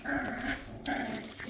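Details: Labrador Retriever puppies playing, cuddling and biting indoors: a low rough growl in two bursts with a nasal tonal edge, a brief pause between them.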